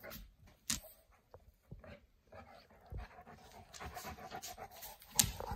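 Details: Boerboel named Kimber hiding from Mack under a blanket, panting in soft, breathy, rapid bursts that grow steadier over the second half, with a few sharp rustles and knocks.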